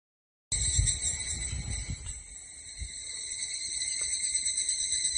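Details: Higurashi cicadas in a loud summer-evening chorus at Hakone Yunohana Onsen, Japan, 17 July 2013; a continuous bright metallic ringing hangs in stacked high bands, steady throughout, with faint low rumbling underneath.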